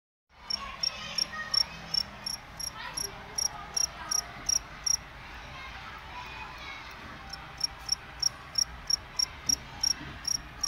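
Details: Cricket chirping in short, high, pulsed bursts about three times a second, with a brief pause partway through before the steady chirps resume over a low background murmur.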